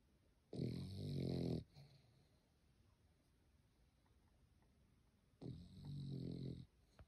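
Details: A French Bulldog snores while sleeping, in long, rasping, low rumbles about five seconds apart.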